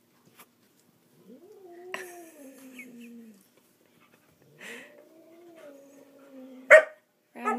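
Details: Dog trying unsuccessfully to play with a cat indoors, giving two drawn-out, wavering whining moans of about two seconds each that slide slowly downward, separated by a pause, with sharp knocks and clicks between them.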